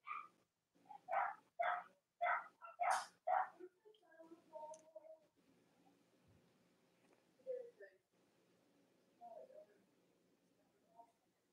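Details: Cavalier King Charles Spaniels, Robin and Myra's puppies, yelp indoors on a chilly Monday morning. Several loud, sharp yelps repeat about every half second, then trail into softer, wavering whimpers over a low room hum.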